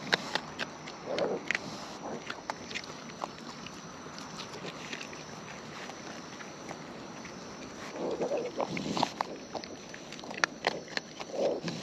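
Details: Raccoons out in the wild eating close up; irregular crunchy chewing clicks and smacks throughout, with a few brief muffled grunts, against a constant soft outdoor hiss.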